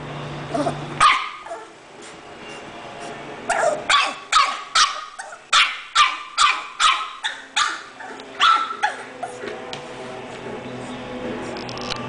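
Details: English Bulldog letting out a burst of around a dozen rapid, rough barks, after a short pause and a few early yelps, then quieter sounds at the end.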